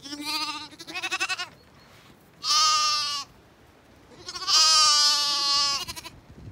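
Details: Zwartbles bottle lambs calling out as they spot their owner approaching for milk; three loud harmonic bleats, the first wavering and pulsed, the last long and steady, separated by quiet gaps.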